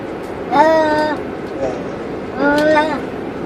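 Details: Two cats caged inside a car cruising on a highway; two drawn-out, harmonic meows, the second longer, over a steady low road rumble.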